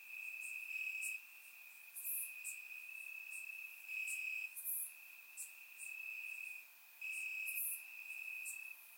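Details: Warm summer night in Bulgaria with crickets chirping in grass, recorded by surround microphone; a sustained high trill swells in bursts of a second or two, punctuated by sharp, very high chirps.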